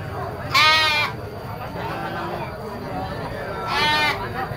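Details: Young goats at a goat market give two loud, wavering, nasal bleats about three seconds apart, each lasting around half a second, over a low murmur of market noise.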